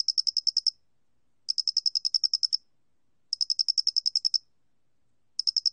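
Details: High, clicking chirp trains from an angle-headed cricket, recorded in 2020 by the National Institute of Biological Resources in Korea. Each burst holds about eight to ten pulses, with pauses of about a second between bursts.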